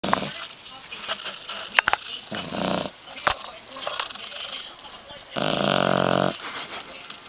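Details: Three-month-old boggle puppy asleep, snoring. Irregular raspy, breathy snorts and clicks, then one long loud rattling snore near the end.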